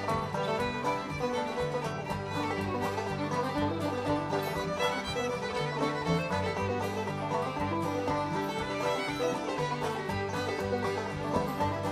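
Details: Lively bluegrass-style string music with fiddle and banjo plays steadily throughout, with no animal sounds.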